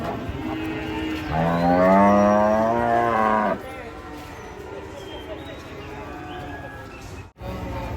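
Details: Giant cattle moo while being unloaded from a truck: one long, loud, harmonic moo rising slightly then held for about two seconds, followed by quieter background noise and a brief dropout.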